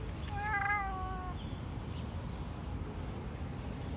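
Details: Blue-eyed cat giving one clear, tonal meow of about one second that rises slightly and then slides gently downward before fading, followed by a steady low background rumble with no further calls.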